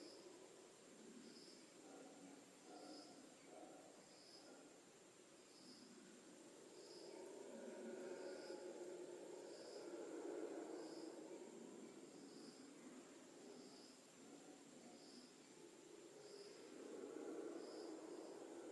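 Howler monkeys roar in deep, rushing waves that swell and fade like distant surf, with insects pulsing behind.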